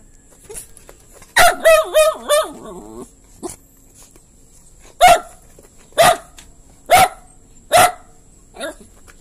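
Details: A dog barks: a burst of wavering, tonal yelps runs together early on, followed by single sharp barks spaced roughly a second apart in an otherwise quiet setting.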